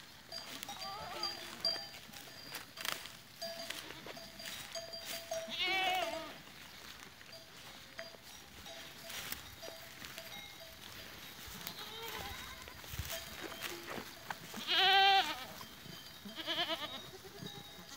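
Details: Goats recorded on 13 April 2023; a few short, quavering bleats stand out around six and fifteen seconds, with a fainter one near seventeen, among scattered knocks and clatter and a steady background hiss.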